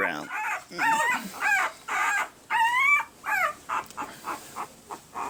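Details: Red and sable male Pembroke Welsh Corgi puppies, one week old, April 2020: a series of high, squeaky whining cries that rise then fall, about two per second, becoming shorter and fainter toward the end.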